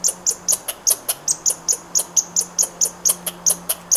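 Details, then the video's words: A squirrel chattering in a fast run of short, high, ticking chips, about four or five each second and fairly even, over a soft low hum. "Squirrel sound"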